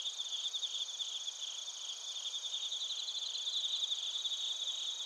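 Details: Bell crickets and field crickets calling together in Narita, Chiba Prefecture, Japan; rapid high-pitched pulsed chirps ride over a constant shimmering insect drone, recorded with a TASCAM Portacapture X8.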